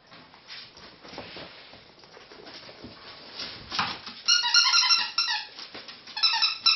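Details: Three pet ferrets jumping about at playtime, giving bursts of rapid high squeaks in the later part, with scuffling and thumping of play throughout.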